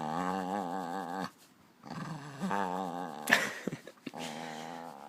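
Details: Hungarian puli making contented satisfaction noises indoors: a sustained wavering groan with warbling harmonics, a brief pause, then further lower grumbles and a short sharp snort-like sound near the end.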